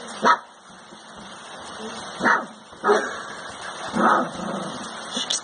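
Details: A Rottweiler puppy, howling while playing with a child, gives short, high yelping howls at irregular intervals over a steady background hiss, with a TV audible from another room.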